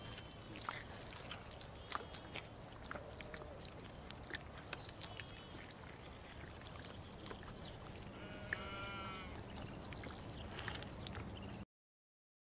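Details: Young lamb taking a bottle held by an English springer spaniel gives soft scattered bleats, then a stronger wavering bleat near the end, amid low rumbling background noise and light clicks.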